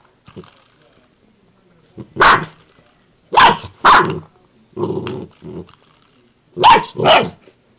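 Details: A Bull Terrier puppy reacting to a door knocker barks in short, harsh bursts, often two in quick succession. The barks come in loose groups several seconds apart, with little else heard between them.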